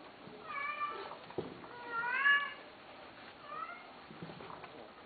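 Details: Cat meowing indoors: three short harmonic meows, the middle one loudest and slightly rising then falling, spaced about one and a half seconds apart, with a soft background hiss.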